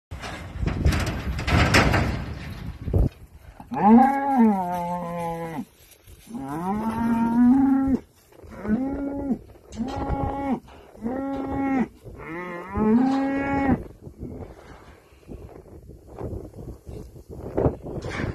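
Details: Bonsmara cows running toward a bull as he leaves a trailer; loud drawn-out moos with strong harmonics, six calls of one to two seconds each, some rising at the end, preceded and followed by rumbling movement noise.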